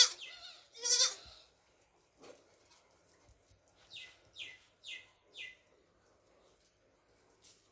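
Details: Black baby goats drinking milk. A single loud, shaky bleat comes early, followed after a quiet gap by four short, high, thin calls about half a second apart.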